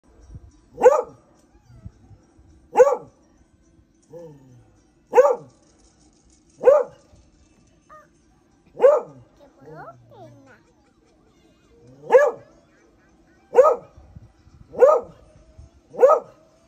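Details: Beagles wanting to play while the owner tries to sleep: loud sharp barks repeated about every one to two seconds, ten in all, with soft whines and yips between, indoors.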